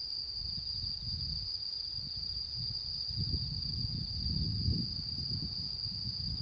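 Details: Autumn insects singing on the night of the harvest moon, September 10, 2022: a steady, high, unbroken ringing trill, overlaid by low rumbling bursts of wind-like noise that swell toward the end.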